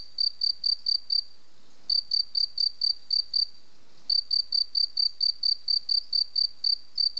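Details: Singing cricket giving bursts of high, ringing chirps, several per second, separated by two pauses of under a second; nothing else audible.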